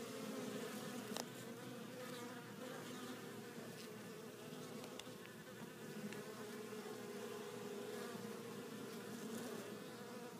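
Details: Hive of honey bees coming home laden with pollen in several colours; a continuous layered buzzing of many insects, low and steady, with occasional brief clicks and louder passes near the entrance.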